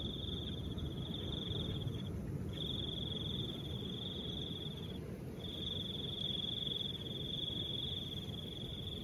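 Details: Crickets in soft wind: a steady high buzzing trill in long bursts of about two to three seconds with short gaps, over a constant low rushing of wind.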